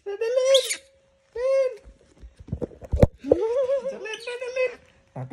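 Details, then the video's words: Disturbed monkey screaming in drawn-out, wavering harmonic squeals, three long cries separated by pauses, with some thumps and handling noise between them. "Gangguin monyet sampai teriak teriak, suara monyet teriak teriak.Disturb the monkey until it screams"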